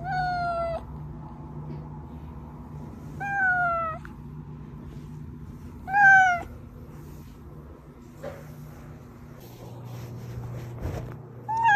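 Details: Domestic cat meows from a recording used to lure hidden cats: four harmonic meows spaced about three seconds apart, each short and falling, varying in loudness, over a low steady hum with faint thumps.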